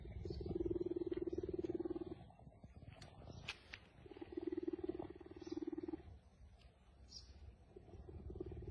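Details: Leopard described as a human's friend, uttering long stretches of deep, fast-pulsed purring rumble, two bouts of about one and a half seconds separated by a pause, then a third starting, with light clicks between.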